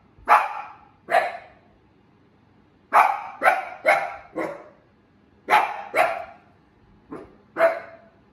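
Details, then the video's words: Miko, a female Shiba Inu pet dog, barking proudly: sharp, loud single barks, some in quick pairs and triplets, about ten in total with short silent pauses between bursts; quiet background. "Shiba Inu Barking"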